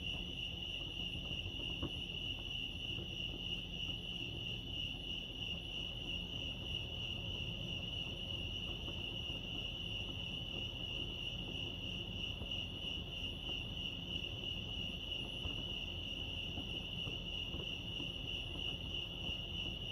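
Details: At Lake Arrowhead, California, crickets chirp in a dense, pulsing high trill that runs without pause, set against low background rumble.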